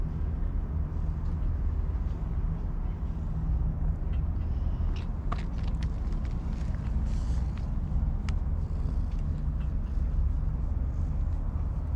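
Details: Steady low engine-like rumble with a few faint clicks and knocks, and no animal voice.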